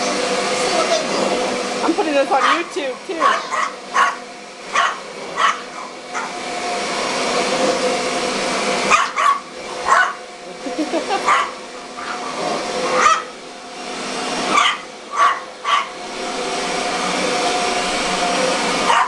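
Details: A dog chasing a running vacuum cleaner gives repeated short, gruff barks and growls at it over the vacuum's steady roar.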